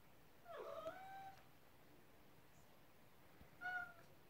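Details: Hungry male Ragdoll cat pleading for his meal ahead of time: a long wavering meow followed by a shorter, higher one after a pause of roughly two seconds.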